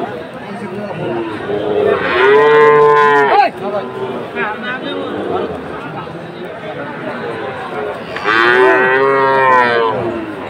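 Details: Sahiwal bull calves at a Chattogram cattle market in Bangladesh: two loud, long moos several seconds apart, each rich and harmonic, swelling then dropping, with quieter lowing and crowd noise between.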